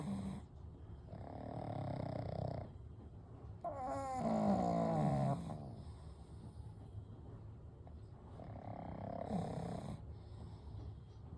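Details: Gentle snoring from three sleeping pugs named Kou, Gen and Shun: rhythmic rough inhales and exhales, one louder stretch with a fluttering, whistling rattle, then softer breathing again.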